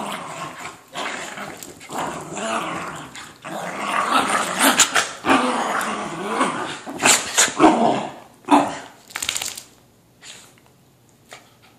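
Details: Kimchee, a whippet mix, wrestling with his brother Rocky. Rough, noisy growls and scuffling swell and fade, broken by a few sharp bursts, before quieting near the end.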